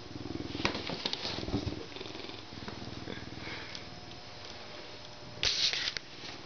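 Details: Zoo-born male Canada lynx kept as an educational ambassador, getting a good scratch before eating; continuous low purring throb mixed with sharp rubbing and scraping noises, a louder scuffing burst near the end.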